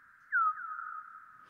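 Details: A bat's sonar chirps, slowed down about 100 times so they are heard as quick falling swoops, with echoes from a wall about 3 m high with a fir tree behind it.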